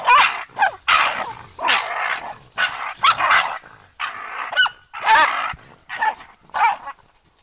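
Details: German hunting terrier giving a run of high, sharp barks, clustered in bursts with brief pauses and a few yelping notes, repeated twice in a row.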